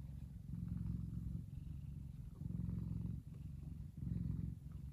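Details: Sunbathing F2 Savannah cat Kumba, a big sweet male, gives a continuous low purr. It pulses in louder stretches of about a second, separated by brief softer dips, with no other sounds.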